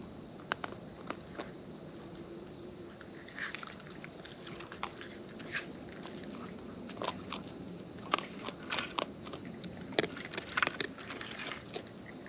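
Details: Wild raccoons eating close up: crisp, irregular crunching clicks, about one and a half per second, with a few louder bites near the end over a soft, steady outdoor background.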